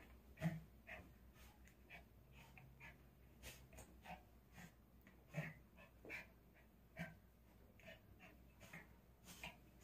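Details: Indoors, the pet dog Doldol plays with a toy doll, snorting and wheezing in short sharp breaths repeated roughly every second, some louder puffs standing out over a quiet room.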